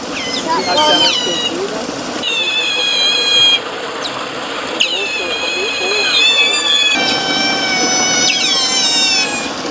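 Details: A boisterous band of Eurasian otters kept at Zoo Basel: sustained high-pitched whines and quick falling chirps in bursts, with pauses between and murmuring voices underneath.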